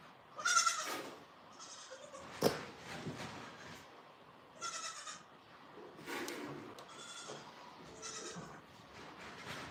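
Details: Farm goats bleating: several short nasal bleats spread through the recording, one sharp knock and steady handling noise between them.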